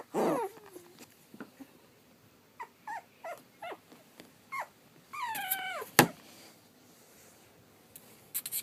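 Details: Whimpering from three-and-a-half-week-old Pug/Dachshund mix puppies indoors: a low grunt opens, then short thin squeaks and a drawn-out, wavering high whine that falls in pitch, with a sharp knock afterward.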